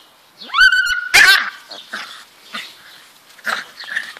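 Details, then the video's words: Beagle puppies at play, described as very cute, giving a rising whistled whine followed by a sharp yelp near one second, then several shorter soft whimpers and squeaks spaced about half a second apart, with a brief human exclamation. "beagle puppies playing"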